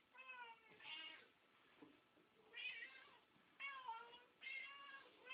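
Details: A tabby and a Siamese house cat meow loudly while food is readied for them, not starving but talkative; five insistent harmonic meows in quick succession, some rising then falling, about one every second.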